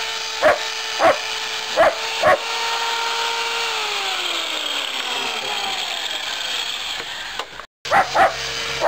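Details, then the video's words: German Shepherd in rough play, giving short sharp barks in pairs near the start and again at the end, over a steady loud tone with harmonics that holds, then slides downward, then drops out briefly. "German Shepherd Rough"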